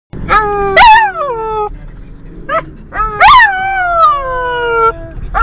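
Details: Border Collie singing in long, rich-toned howls that rise sharply then slide slowly downward, two main drawn-out notes with short yelping starts between them.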